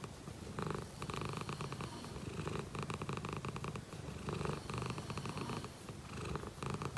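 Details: Happy domestic shorthair cat purring up close indoors, a steady low rumbling drone that pulses continuously, with rhythmic loudness swells as it breathes in and out throughout.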